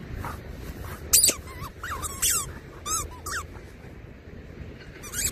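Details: Labradoodle dog excited during a digging session, giving a quick run of short rising-and-falling whimpers and squeaks, roughly one a second, over a soft background of scraping earth.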